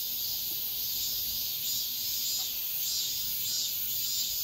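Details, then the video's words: Midsummer cicadas at daybreak make a thick continuous shrill buzz with gentle rhythmic surges, heard over soft low outdoor noise. "새벽매미소리를 들어보자"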